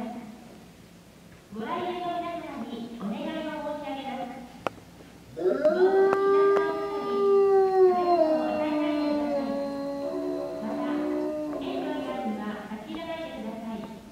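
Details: Male eastern timber wolf, five years old, at Tokushima Zoo, Japan, filmed 17 January 2017 and often howling in the afternoon: short wavering howls, then a long smooth harmonic howl holding steady before sliding down, with faint human voices.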